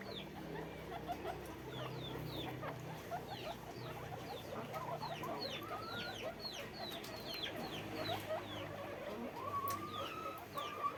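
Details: Farm guinea pigs in cages producing many sharp downward-sliding squeaks in an irregular chorus, plus a few longer level whistled notes near the end, over a low steady hum.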